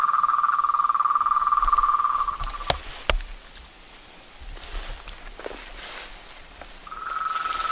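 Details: Frog and toad chorus: a fast, even pulsed trill for about two seconds, broken by two loud clicks, then a quiet stretch before the trill starts up again.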